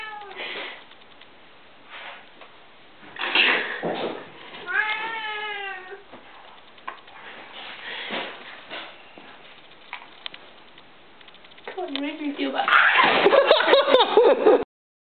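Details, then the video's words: Pet male cat during an attack episode indoors; short meow bursts and a harmonic wavering yowl midway, scuffling noises, then a loud, harsh caterwaul toward the end, with people talking in the background. "Cat Attack"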